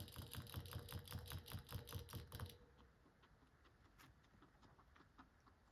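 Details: A guinea pig chews pellets on December 17, 2024, a fast run of crisp, even crunches that soon fades to quiet nibbling.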